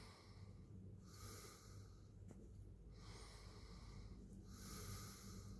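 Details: Quiet low-pitched purr from a cat, a steady throbbing drone rising and falling as the animal breathes in and out, broken by a faint breathy hiss on the exhales and one tiny tick.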